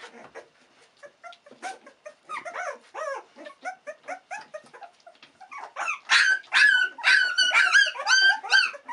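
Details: Sixteen-day-old Australian Cattle Dog puppies exploring their surroundings; soft scattered whines and squeaks at first, building to a dense chorus of loud, high, bending whimpers and yelps from several pups over the last few seconds.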